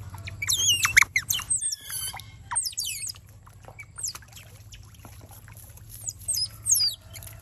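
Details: Wild otter pups being taught to swim in a garden give bursts of shrill, sliding chirps, busy at first, then a quieter stretch before a few more high squeaks near the end.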